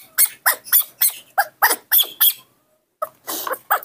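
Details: Baby monkey throwing a morning tantrum while impatiently waiting for milk: rapid, harsh, screechy squeals repeated several times a second, a brief pause, then more shrill cries, with a woman speaking Indonesian nearby.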